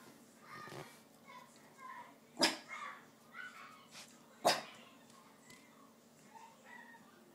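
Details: Pet dog wanting food, tikka masala, indoors: two sharp, loud barks about two seconds apart, with soft tonal whines and murmurs between them.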